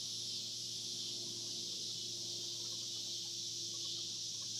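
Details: Cicadas on the Hard Fifty Farm: a dense, unbroken high buzzing chorus holds steady throughout, with a faint low hum underneath.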